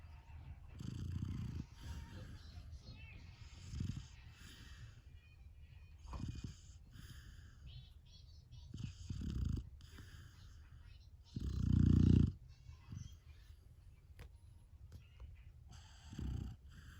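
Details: A sleeping Golden Retriever puppy snoring: low, rumbling breaths in bursts about every two to three seconds, with one louder, longer snore near the middle and quiet pauses between.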